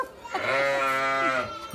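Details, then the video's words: A single sustained sheep bleat, steady and tremulous with rich harmonics, lasting about a second before fading out. "OVELHAS FAZENDO BARULHO"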